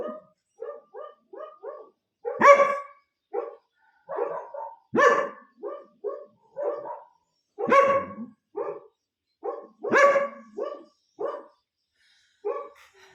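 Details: Several dogs at home, excited during treat-training, bark loudly and sharply every few seconds, with quicker, lighter yips between the big barks.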